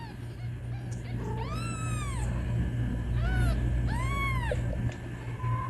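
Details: Kitten meowing for its mom: three drawn-out, bowed meows, the first longest, against a steady low mechanical hum.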